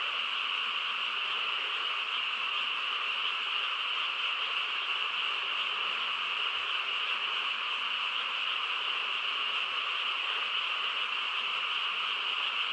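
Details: Countryside frog chorus at night: many frogs calling at once in a continuous, even buzzing drone, high-pitched bands holding level and unchanged from start to finish, with nothing else standing out.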